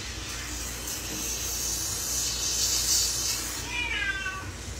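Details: Pet cat in a bathroom shower, strongly against being showered: rushing water fills most of the clip, then a brief, rising-falling plaintive meow at the very end.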